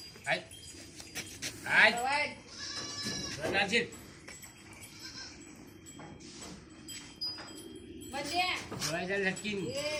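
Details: Osmanabadi goat on a farm in Chiplun, over 50 kg and offered for sale, bleats several times in short nasal, quavering bursts between stretches of people talking nearby.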